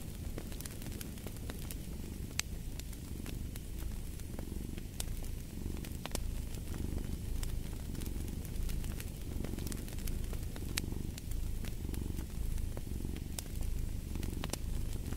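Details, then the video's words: Low rhythmic purr of a cat rumbling on steadily, its breath cycles audible as soft swells, beneath the sharp snapping crackle of fireplace logs. "Purring of a Cat"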